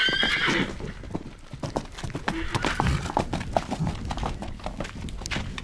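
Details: A stallion together with a mare gives a short, bright whinny at the very start, lasting under a second, then a steady run of clopping hoofbeats and rustling carries on through the rest.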